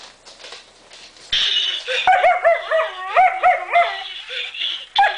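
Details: German Shepherd puppies reacting to a strange fluffy Christmas present: a burst of noise, then a run of high, quick yips and whiny barks with rising-falling pitch, several in close succession.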